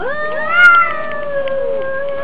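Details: Domestic cats squaring off in a fight, one drawn-out harmonic yowl holding steady for over two seconds, swelling briefly near the start then wavering slightly, over a low background hiss.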